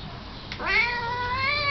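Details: Domestic cat giving a single drawn-out meow that rises, then holds steady and bright for over a second, rich in overtones, against a faint low room hum.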